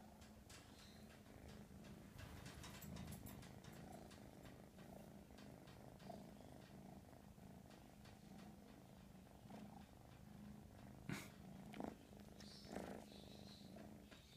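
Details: Continuous purring from Mash, a young American Shorthair kitten: a low, vibrating rumble held steadily throughout, with scattered light taps and a few sharper knocks near the end.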